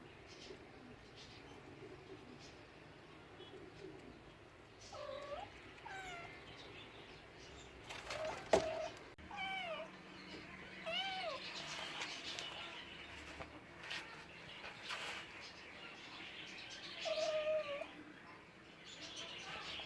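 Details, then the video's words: Several cats' meows scattered through a busy indoor scene: short curved mews around five, eleven and seventeen seconds, with clicks, thumps and background clatter between them. "Cute talking cats, Funny cats sounds for lonely cats"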